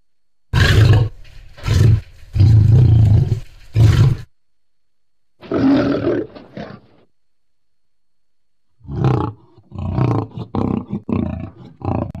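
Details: Lion sound recorded July 2016: a series of heavy, low rumbling roars for about four seconds, a softer rasping call after a gap, then a run of short choppy grunts toward the end.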